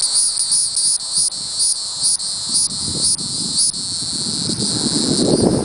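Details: Hieroglyphic cicada (Neocicada hieroglyphica), calling song.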